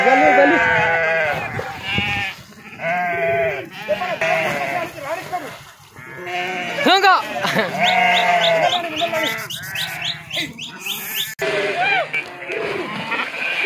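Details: Flock of domestic sheep that farmers struggle to drive across a river, the animals swimming; loud overlapping wavering bleats, some low and some high and thin, call over one another throughout with little pause.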